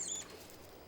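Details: A female flying squirrel, apparently with more than one squirrel present after moving her family into her new tree-hole home, gives a brief burst of thin, very high squeaky chirps that fade quickly.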